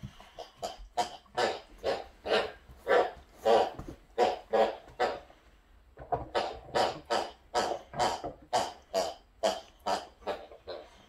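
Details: Pet Boxer dog indoors, one of two Boxers at home, making a long run of rhythmic grunting, snorting vocal bursts about twice a second, with a brief pause midway before the steady pattern resumes.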